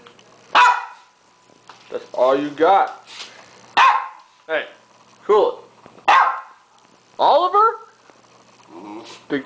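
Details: Oliver, a hungry pet dog standing up after being given a hamburger, lets out sharp barks and yelping, talky vocal bursts every second or so, while a person speaks to him between the calls.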